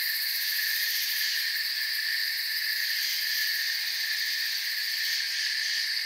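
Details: Forest crickets at night in a continuous shrill chorus, several high stacked tones ringing together without a break, a soft pulsing texture running through the steady wall of sound.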